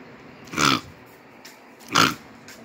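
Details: Rhodesian Ridgebacks Kwela, aged nine years, and Honey, a nine-week-old puppy, mouth-wrestling in play: two short, rough, harmonic bursts about one and a half seconds apart, separated by quiet background.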